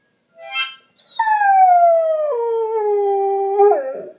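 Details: Goldendoodle howling along to badly played harmonica: a brief harmonica burst, then a long sustained howl sliding slowly downward in pitch, stepping lower midway and ending with a short wavering dip.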